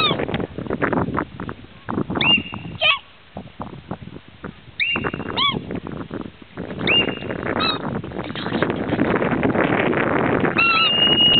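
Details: A hoary marmot at Lake Louise, Banff, gives loud, sharp, high whistles, repeated every few seconds over steady background noise.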